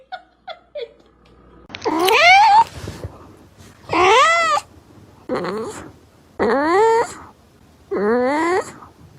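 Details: Domestic cat meowing loudly indoors: five drawn-out, harmonic-rich meows that rise then fall, spaced about two seconds apart, preceded by a few short faint chirps; quiet background otherwise.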